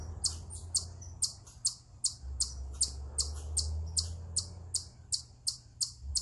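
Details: An eastern chipmunk on a rock gives sharp, high chips, about two or three each second, over a low rumble; the owner wonders whether it is a stress, mating or territorial call.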